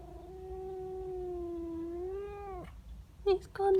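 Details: Angry female house cat yowling at a neighbour cat in the garden: one sustained, slightly wavering drawn-out moan of about two and a half seconds, then two short sharp cries, low hum behind.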